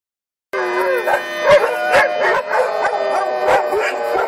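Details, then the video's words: Several daycare dogs howl along with a monthly emergency siren test on the first Friday of the month in Lucas County; wavering, overlapping howls rise and fall over a steady siren tone throughout. "Doggie Daycare Monthly Siren Howling"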